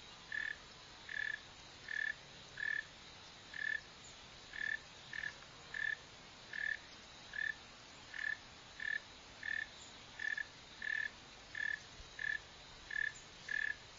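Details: A northern mole cricket (Neocurtilla hexadactyla), filmed digging and running, gives around nineteen short pulsed chirps on a single pitch, spaced a little under a second apart in a fairly regular rhythm, with soft background hiss.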